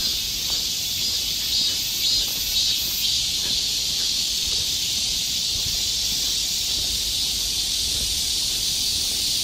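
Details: Summer cicadas in the forest of Galsan Park, Yangcheon-gu, Seoul, South Korea, massed in a steady, high, hissing chorus that never breaks, with a faint shimmering pulse throughout.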